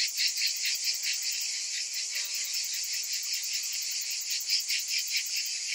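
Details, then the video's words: Many cicadas buzzing on a summer afternoon, a bright sizzling drone with fast irregular throbs, steady and high-pitched from start to finish. "Cicadas in Summer"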